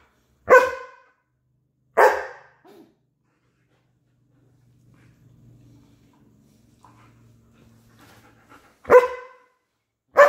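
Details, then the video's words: German Shepherd barking while fighting with its owner over her toy; sharp loud barks at about half a second and two seconds, a quiet stretch with faint low growling in between, then two more barks near the end. "German Shepherd fighting with the owner for her toy"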